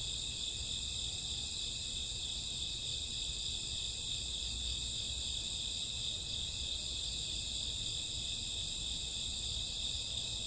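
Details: Crickets and grass insects chirping on a summer or autumn night around midnight, a dense, steady high-pitched chorus of overlapping trills with no pauses, plus a faint low rumble underneath.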